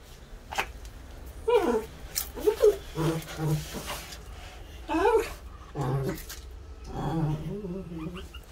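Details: Norfolk Terrier reacting to foam scrunched in a hand that it takes for a snake: short rising-falling whiny yelps alternate with low rumbling growls over about eight seconds, with people talking nearby.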